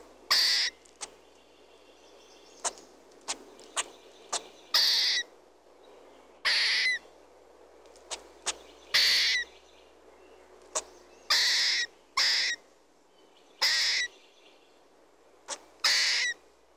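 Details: Red squirrel giving short, harsh, broadband bursts spaced irregularly about every one to two seconds, some sharp clicks between them, over a quiet background.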